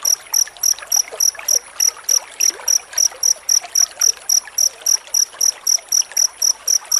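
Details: Close-set cricket song played as a training model for white-rumped shama: shrill chirps in a steady, slightly slower pulse of about three per second over light background noise.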